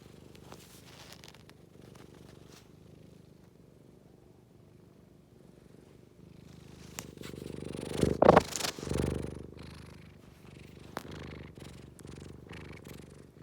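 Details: Scottish Fold cat purring in a low, even rumble, swelling louder with rustling and handling noises partway through before settling back to a soft steady purr.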